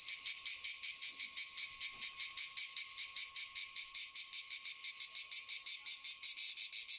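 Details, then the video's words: Cicada singing a loud, high, rasping buzz broken into rapid regular pulses, about six per second, steady throughout with a faint low hum beneath. "cicada / τζιτζίκι / τέττιξ"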